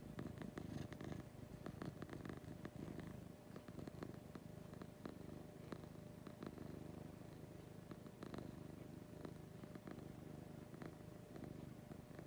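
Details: Female pet cat purring in the morning: a continuous deep, soft rumble with rhythmic pulsing, indoors, with occasional light clicks and rustles over the quiet drone.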